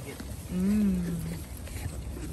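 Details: A female pygmy goat on a farm in Knoxville, Tennessee, USA, gives a single low, nasal bleat that rises slightly and then sags away while the goats eat orchard grass hay as a treat, with wind.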